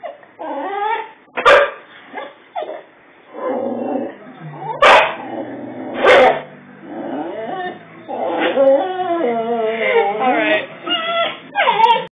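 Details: Boxer dog reacting to his own reflection in a mirror taken down during a house move: high, wavering whimpers and whines with a few sharp yips, mixed with people talking.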